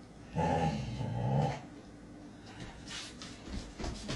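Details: Samoyed doing its happy dance with a toy gives one low, drawn-out growling groan of about a second, rich in harmonics. Shuffling and tapping noises follow.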